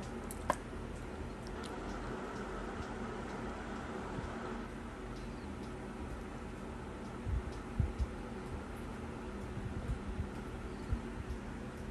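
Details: Quiet indoor room tone with a low hum, a few faint ticks and soft knocks, and no barking or other animal voice.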